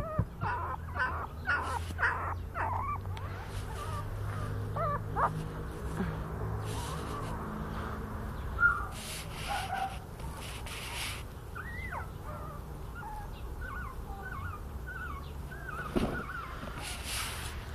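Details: Newborn Miniature Schnauzer puppies, born 31 January, give thin, squeaky whimpers over a low steady hum.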